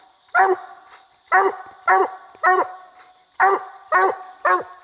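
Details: Bandit, a coonhound, barking treed on a raccoon in a little tree during a coon hunt; seven separate loud barks spaced roughly half a second to a second apart over a faint constant high hum.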